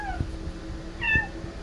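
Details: Yoda, a legless baby cat being adopted, gives two short high meows: one trailing off at the very start, then a brighter, slightly rising mew about a second later, over a low indoor rumble.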